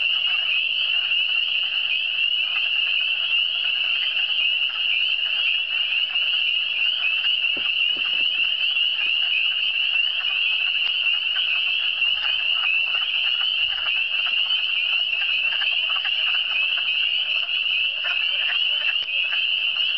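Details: Frogs calling in the Eastern Townships (cantons de l'Est), a dense unbroken chorus of high, overlapping shrill trills that holds steady throughout, with a faint constant low hum and an isolated click near the middle.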